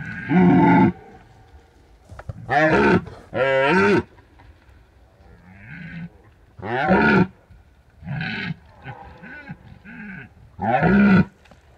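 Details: Rutting red deer in the Bucovina mountains at the height of the season, recorded with a drop rig left for a week; deep, harmonic roars in bursts of about one second, with pauses between and a quiet background.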